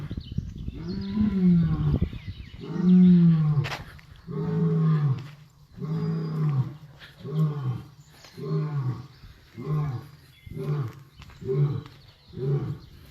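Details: A lion at a wildlife park, lying down in the sun on a hot April day, gives a roaring bout: deep moaning roars that give way to a run of shorter, quickening grunts.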